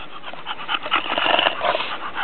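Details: Pet bulldogs Emma and Bibi, two females kept at home, making a brief snorting, snuffling whine with raspy grunts that swells over about two seconds, over a faint indoor background hiss.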